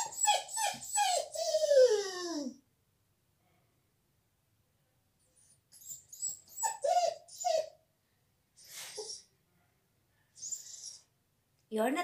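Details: Dog kept out of the salon during a visit, crying: a run of high whines, each falling in pitch, then a long silence followed by shorter whimpering bursts separated by quiet gaps.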